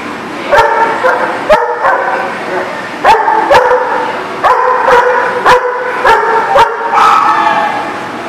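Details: Dog barking in a repeated series of loud, sharp, harmonic barks, about eleven in eight seconds, often in quick pairs, with little else heard between them.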